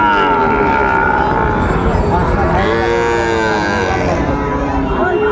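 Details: Sahiwal bull calves at a cattle market where Dhaka farmers buy stock, dated 30 August 2024; a drawn-out wavering moo sits over steady crowd and market bustle, with faint voices throughout.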